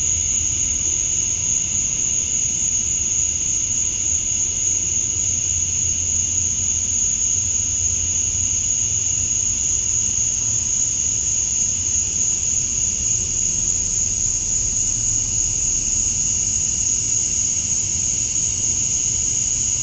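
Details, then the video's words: Outdoor summer dusk in Georgia, USA, with male cicadas chirping to attract females: a dense, unchanging high shrill drone with a lower buzzing band. It continues for twenty seconds over a soft distant low rumble. "Cicadas at Dusk, Summer Night"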